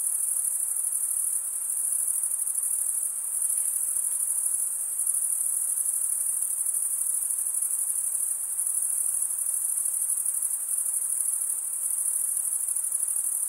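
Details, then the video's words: Crickets chirp by scraping wing against serrated wing vein; a thick, high, sizzling trill runs unbroken for the whole stretch with minor swells in loudness and no other noises. "Most relaxing cricket sound for 8 hours"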